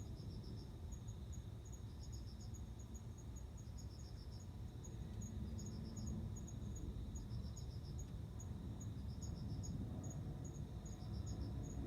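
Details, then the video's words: Male cricket singing to attract a female for mating: soft, high trills of rapid pulses in short groups about every one to two seconds, with a constant low background rumble. "コオロギの交尾 雄の鳴き声に惹かれて雌が応じる瞬間"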